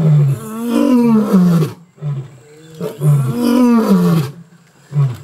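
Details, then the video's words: Mapogo lions roaring in the bushveld, loud enough to carry about 8 kilometres; two long, deep, moaning roars with harmonic bands that fall in pitch, separated by a short pause, then a brief grunt at the end. "Mapogo roars the entire bush-veld shivers with fear"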